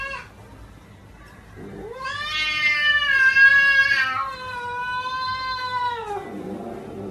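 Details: Pet cat uttering a prolonged wailing meow that swells in loudness and holds a steady pitch before sliding down at the close, after a quiet start with faint background noise.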